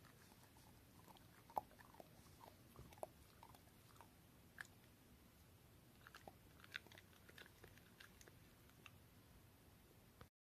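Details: Fifteen-year-old Shiba Inu eating a treat placed softly before it, slower than in its youth; irregular crisp bites and crunches spread across ten seconds, some sharp clicks, in a quiet indoor room.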